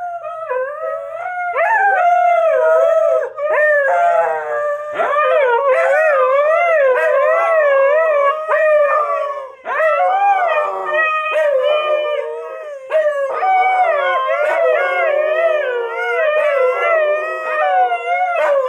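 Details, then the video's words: Female Siberian Husky singing on command, a loud, continuous wavering howl with rich harmonics. The pitch bends up and down in wobbly waves, broken by brief breaths and a few short sharp yips, over about nineteen seconds. "Howling Husky Finds Her VOICE!"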